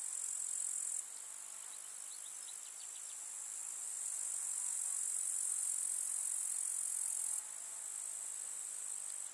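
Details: Grasshoppers in a summer meadow in the countryside, chirring together as one dense, very high-pitched hiss that runs unbroken, dropping in loudness briefly before swelling again, with a few faint higher ticks near the start.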